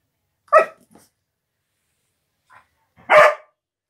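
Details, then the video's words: Female Siberian Husky named Mirca guarding her new carpet indoors when someone gets close, giving two short sharp barks about two and a half seconds apart in a quiet small room. "Husky protects her Carpet!"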